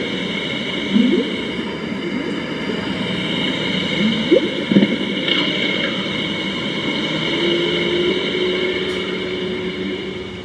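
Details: Playback of humpback whale song in the International Antarctica Centre exhibit, Christchurch, New Zealand: a few short rising swoops and a drawn-out low tone, partly buried under a constant droning hum and hiss.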